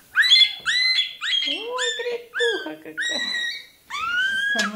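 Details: Toy terrier puppy during tail docking, giving a run of high, harmonic squealing yelps, each sliding upward then holding, about seven in under five seconds, with a few lower whining notes in between.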